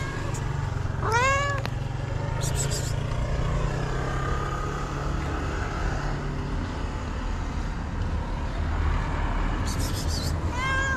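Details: Hungry tabby cat with thick hair gives two drawn-out, rising-then-falling meows, one near the start and one at the end, over a steady low rumble of traffic.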